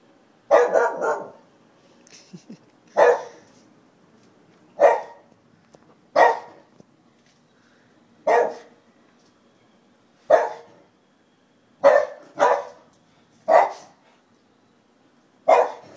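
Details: Kobe, a Shiba Inu, barking at nothing indoors in a small room: about eleven sharp, single barks spaced roughly one to two seconds apart, a few coming in quick pairs, over a quiet background.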